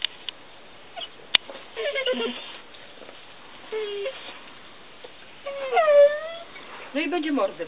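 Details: Maly the Mastiff whines in short tonal bursts, then a longer, bending, mournful moan, with a woman's Polish speech and a sharp click between.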